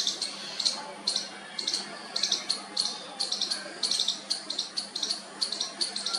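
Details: Baby squirrel trying its first call to its mother, a fast run of high, slightly chirpy squeaks, often doubled, coming several times a second in an uneven rhythm.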